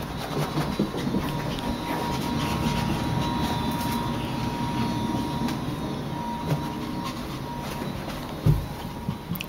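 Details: Rumbling rail-travel noise with clattering wheels and a faint steady tone runs throughout, punctuated by a few knocks, with no animal voices.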